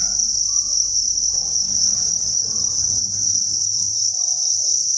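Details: Crickets by the thousands chirp inside a breeding facility at a cricket farm, their calls merging into a steady, high, shimmering drone with no gaps, over a faint low hum.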